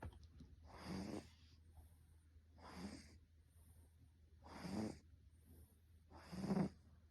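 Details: Russian Blue cat snoring steadily while asleep, recorded November 8, 2022: four broad, rasping breaths roughly every two seconds, each swelling then fading, with a faint whistling tone inside the louder snores; the room is otherwise quiet.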